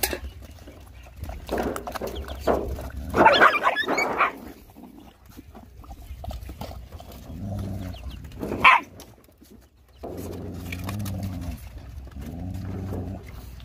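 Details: Hungry stray dogs and puppies being fed, a mother dog nursing her puppies among them. Two short, sharp bark-like bursts stand out, near the third and ninth seconds, over a steady low droning hum and scattered clattering noise.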